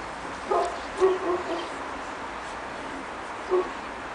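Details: Pekingese puppies, two and a half months old, on their first time outside in the snow in Tallinn, Estonia; four short, high yips, at about half a second, one second, 1.3 seconds and 3.5 seconds, over a quiet, steady hiss.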